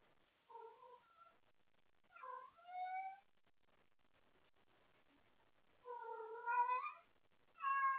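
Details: House cat awake late at night, calling out for someone to play with: a series of four meows, some short and some stretched, rising and wavering in pitch, spaced irregularly over eight seconds in a quiet room.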